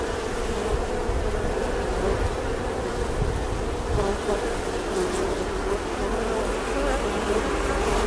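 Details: Buzzing bee drone over a heavy low rumble, the insect hum steady while deep noise fills the bottom throughout.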